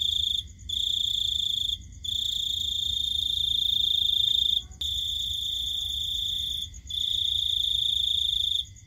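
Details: A cricket trills steadily at night in a high, shrill tone, pausing briefly every second or two.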